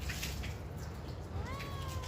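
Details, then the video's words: A pet cat replying during a conversation with its owner: after a short pause, one clear meow that swells upward and then holds a steady, slowly falling tone to the end, over a low background rumble. "Cute Conversation With A Responsive Cat"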